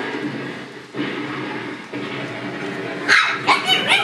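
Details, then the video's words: Shiba Inu puppies giving a quick burst of high, sharp yips in the final second, after a stretch of steady low background rumble with no clear calls. "Chiots Shiba et bruitages"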